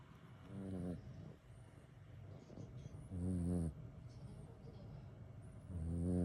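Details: Kitten worn out from play, snoring through a daytime nap: low, buzzy, ribbed snores about every two and a half seconds, three in all, each under a second long, with quiet room hiss between them.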